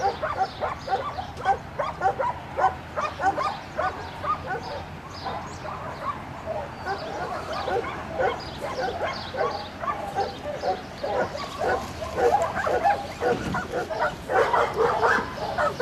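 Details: Dogs at a retriever training session, where black Labrador Retriever Finn works a double on water while the puppy Breck serves as a distraction; rapid, irregular high yipping barks run throughout, with a faint voice at times.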